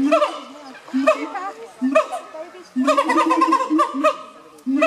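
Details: Siamang gibbons in 2015 calling in loud, buzzy harmonic barks about once a second, then a sustained run of rapid, overlapping wavering notes before another bark.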